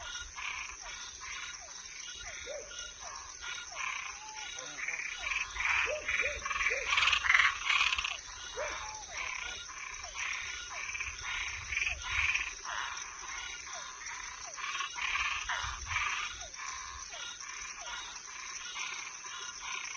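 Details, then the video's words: Toads and tree frogs at night in a dense chorus, rapid rasping croaks roughly 146 a minute, swelling louder in the middle, some short clicking notes scattered through, over a steady high whine. "Som de animais noturno Sapo e perereca"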